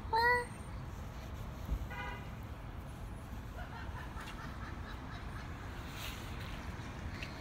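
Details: A Siamese cat gives one short, bright meow that rises and falls at the very start. A fainter, briefer call follows near two seconds, then there is only quiet indoor room noise.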